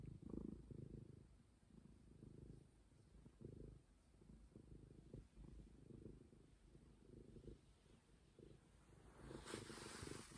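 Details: Continuous rumbling purr from Momi, a stray cat, pulsing with each breath, ending with a brief hiss of rustling noise near the close.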